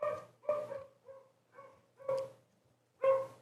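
Two dogs bark over each other, each bark a short, loud, ringing burst rich in harmonics. Louder and softer barks alternate at uneven intervals of roughly half a second to a second.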